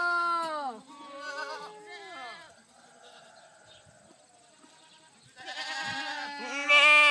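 A goat gives long, drawn-out bleats that fall in pitch and sound oddly like a cow's moo.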